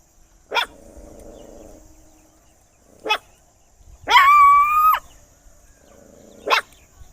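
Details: A dog barks loudly in separate sharp barks about every two to three seconds, with one longer whining yelp that holds a steady tone for nearly a second, against a quiet humming background.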